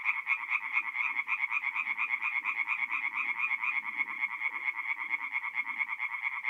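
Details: Forest pond at night in mid-April, north-east Italy, alive with singing tree frogs: a relentless, fast-pulsing high chorus of overlapping callers, accompanied by scattered lower grumbling croaks.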